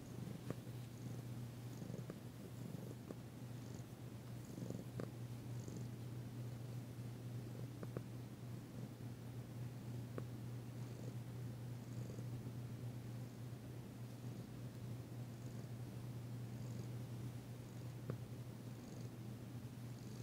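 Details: Danci, a female cat, purring while being massaged on February 9, 2022, still tentative but enjoying it; her first purr since arriving. A steady low rumble runs throughout, with faint soft rustles and taps indoors.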